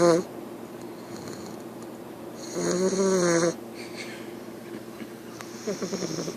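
An English Bulldog puppy snores in loud, rattling, throaty breaths.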